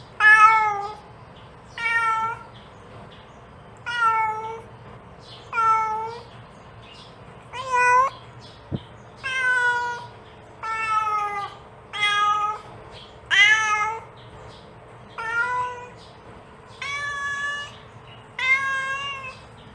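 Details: Mother cat repeatedly calling her kittens: a long series of about thirteen clear, harmonic meows, roughly one every one and a half seconds, varying slightly in length and pitch, with a single faint click midway.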